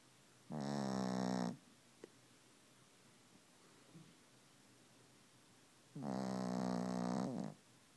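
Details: A sleeping Pekingese snores loudly, giving two long, rough, buzzing breaths separated by several seconds of quiet.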